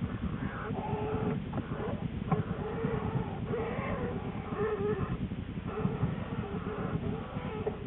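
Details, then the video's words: Lily, an American black bear in her winter den on January 13, 2013, shortly before giving birth to two cubs, picked up by a den camera: a steady low pulsing rumble with brief moaning tones scattered through it. "Lily the Black Bear - Sounds from the den"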